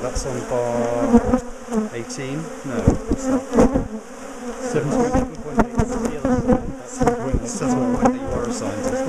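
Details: Hum of a large bee colony disturbed while its top bar hive is split and relocated after the bees turned aggressive. Dense, throbbing drone with shifting higher whines of individual bees passing close, plus scattered knocks from the work.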